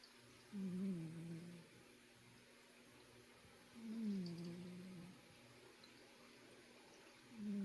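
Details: A cat snoring indoors: soft, low tonal rasps that slide gently downward, each lasting about a second, returning about every three seconds against a quiet room hush.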